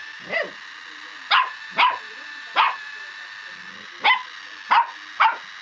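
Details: A puppy named Mavis reacting to a Scholl pedicure roller with shrill yapping barks: seven short bursts at irregular spacing, a single opening yap, then clusters with a gap of about a second and a half midway.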